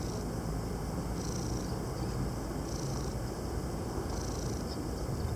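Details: Purring male cat resting in the shade on Krk, Croatia: a low, even rumble runs throughout, while high hissy bursts come and go every second or so in the background.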